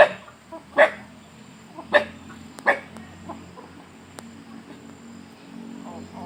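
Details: Dog, eating alongside chickens, suddenly barking at a strange noise: three or four sharp single barks about a second apart, then quieter background with a steady high hum.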